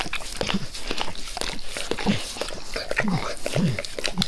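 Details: Max, a pet dog, licking his owner's face with zeal: loud wet slurps and tongue smacks in quick bursts, with a few low, throaty breath sounds between the laps.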